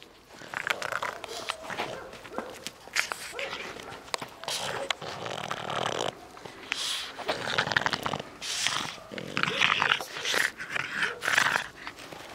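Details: Dog at play, giving rough snorting huffs and low growly bursts throughout, mixed with rustling and scuffling noise.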